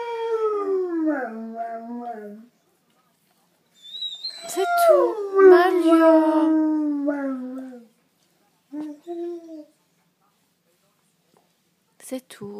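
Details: A female Great Dane howls indoors as her owner leaves: two long, tonal, drawn-out howls, the first sliding downward in steps, the second rising then falling slowly over about four seconds, followed by short whimpering notes and silence.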